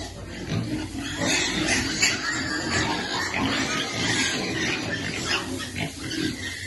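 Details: Baby piglet waiting to be fed, making dense, rapid squeals and grunts in irregular bursts, high rasping cries over a steady low grunting bed.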